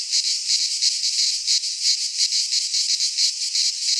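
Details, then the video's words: In a Greek pine forest at midsummer, cicadas produce a harsh high buzzing wall of sound, pulsing in slower rhythmic swells about every half second. "Cicadas singing in midsummer - Nature sounds from the Greek fauna - Sounds of cicadas"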